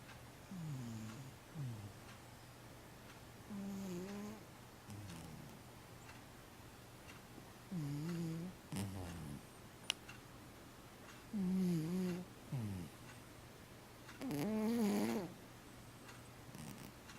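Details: A 15-year-old domestic cat sleeping indoors, snoring in low, rasping, buzzy breaths with short pauses between them, some louder than others, in a quiet room.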